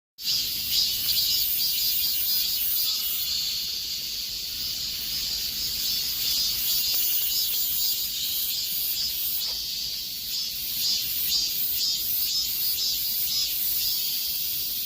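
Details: Cicadas singing in the summer heat: a dense, continuous high buzzing chorus with faint pulsing accents about twice a second, steady throughout with no other clear sounds.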